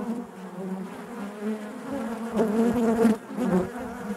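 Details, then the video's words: Inside a honey bee hive, a continuous droning hum of many bees, rising to a louder, brighter buzz near the middle as bees move close, then settling back. "bees therapy hive natural buzzing sound"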